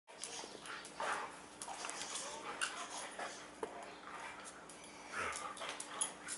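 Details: Two huskies playing tug-of-war with a chew ring indoors, giving short whiny, grumbling play sounds around the first and fifth seconds amid scuffling and shuffling noises.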